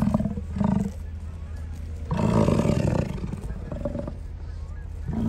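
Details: American bison give deep, rumbling bellows with a long guttural roar in the middle, along Grand Loop Road in Hayden Valley, Yellowstone, on 10 August 2023 at 8:30 PM, recorded from inside a car near geysers.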